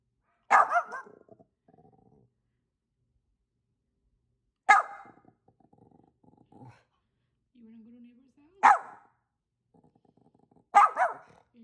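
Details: Dog in Vancouver, British Columbia, barking back at neighbours' dogs; four loud, abrupt barks spaced several seconds apart, with low faint sounds and a brief soft tone between them.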